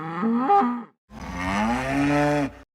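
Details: Zebu mooing twice: a short call of under a second with sudden upward pitch jumps, then a long, steady, droning moo of about one and a half seconds that rises gently at the end.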